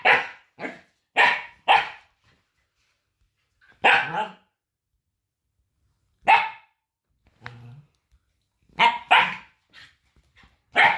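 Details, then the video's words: Puppy with a very high-pitched voice barking in short sharp yaps, some in quick pairs, separated by pauses of a second or more, with quiet gaps between bursts. "Bruit de chiot qui aboie"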